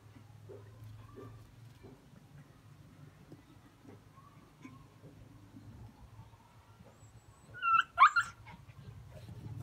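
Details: Jack Russell Terriers out hunting: a steady low rumble runs under faint scattered noises, then a sudden loud burst of sharp yelping barks breaks through near the end.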